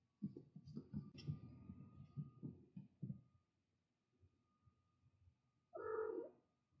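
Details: Mother cat with her kittens: soft rustling, shuffling sounds and low murmurs for about three seconds, then a quiet pause, then one clear, tonal, slightly wavering meow lasting about half a second near the end.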